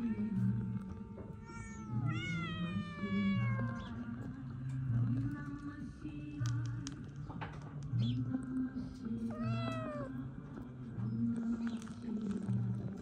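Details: Kitten-like meows, a falling high meow early and another around ten seconds, set against prominent background music with sustained low tones.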